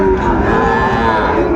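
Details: Sahiwal bull calf at the busy Ambari cattle market, Dinajpur district, Bangladesh, on market day in April 2025. A short, even, tonal low holds steady over a background of crowd chatter.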